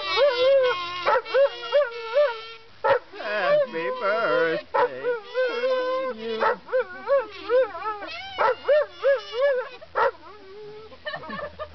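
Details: Weimaraner dog howling along as Happy Birthday is played on a kazoo: wavering, drawn-out pitched howls blend with the kazoo melody's steady buzzing notes, with short breaks between phrases.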